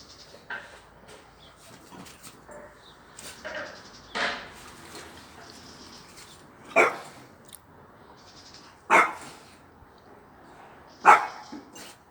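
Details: A French Bulldog playing with a cat gives short, hoarse barks and yelps at irregular intervals of a few seconds.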